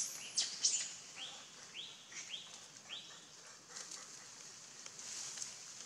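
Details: Baby monkey looking for its mother, giving a run of high, arched calls that rise then fall, about two per second over three seconds, followed by quieter rustling and faint background noise.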